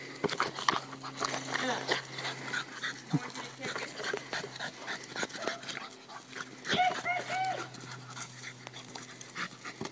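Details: A Boston Terrier pants and gives short, high whimpering whines while playing with his basketball like a soccer ball, with human voices and a steady low hum.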